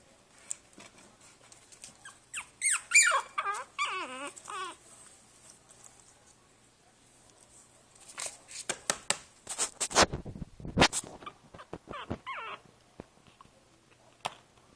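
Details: Princess Izzy, a five-week-old Boston Terrier puppy in a basket, recorded 12/4/2011, gives a run of high, wavering squeaky whines that bend downward, then falls quiet amid rustling and clattering of the basket indoors.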